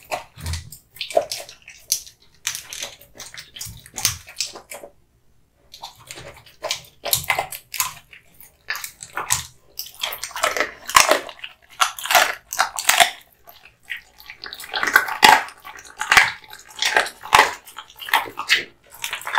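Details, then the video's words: Male American Bully (Pit Bull) Kotetsu, born 8 August 2016, eating hung raw meat and bones: sharp crunches and wet chewing clicks in irregular bursts, with a short quiet gap near five seconds. "Dog eating hung raw meat and bones"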